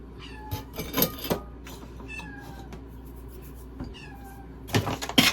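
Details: Kitten eating food indoors: irregular soft crunching and clicking chews, with a few faint high mews in between and a sharper burst of clatter near the end.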